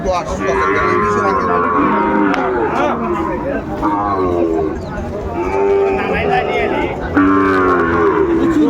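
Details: Sahiwal cattle at a crowded Manikganj livestock market on 30 December 2024, where farmers buy bull calves: loud, drawn-out moos with rich harmonics, several calls overlapping, set against a steady murmur of voices.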